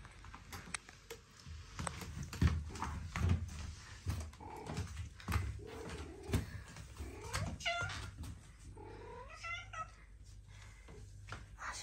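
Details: A pet cat indoors: rustling, thumps and shuffling noises fill most of the stretch, then two short meows come near the end, the second rising and wavering.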